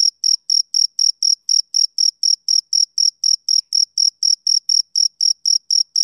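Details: A male cricket repeats shrill, even chirps at roughly four per second. Each pulse is brief, high and pure with a faint upper overtone. The background is silent.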